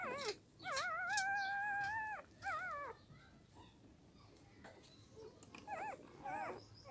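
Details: Newborn puppies, eyes not yet open, giving long wavering whines that hold steady then bend up and down, followed by shorter wobbling whimpers and quieter gaps with faint background hiss.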